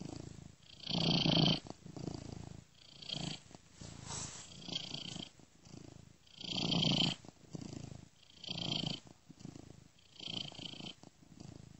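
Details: Domestic cat purring while asleep, looped, with a software-made ear-to-ear effect; steady rumbling purr in roughly one-second swells with a breathy, hissing upper edge on each inhale and exhale.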